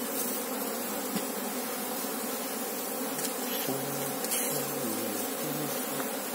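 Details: Apis cerana honey bee colony while the queen is being sought: an even, droning buzz of many bees, with a few short lower tonal wavers in the second half over the constant hum.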